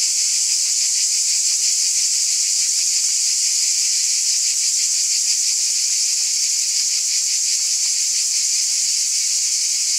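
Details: Night-time summer cicada chorus: a loud, shrill, uninterrupted trilling drone, lightly beating in quick pulses, steady from start to end without other sounds.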